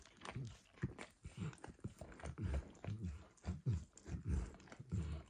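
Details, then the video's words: Pet dog Max working at a bumpy orange mat smeared with egg and diluted peanut oil; regular wet laps, roughly one and a half per second, soft smacks with clicky tongue edges, no voices. "Max Licks | ASMR Dog Licking | Max & The Orange Mat"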